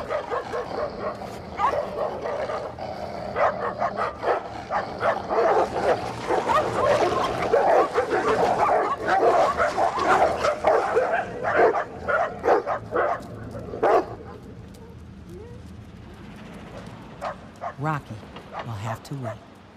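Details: Two stray dogs, a pitbull and a rottweiler, battling over a female for dominance: rapid harsh snarls, growls and yelps for about fourteen seconds, then the scuffle fades to sparse whimpers and scattered noises.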